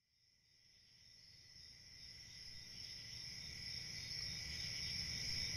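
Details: Crickets on a summer night in the countryside: a steady, shrill, high-pitched trilling that runs unbroken and swells gradually louder from near silence, over a faint low background rumble.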